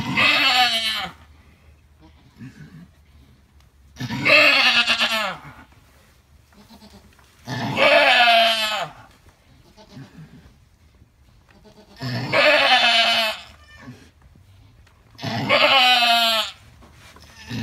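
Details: Alpine goat in labour with triplets bleats five times over about seventeen seconds, each loud quavering cry near a second long, spaced three to four seconds apart, with faint murmuring voices in the gaps.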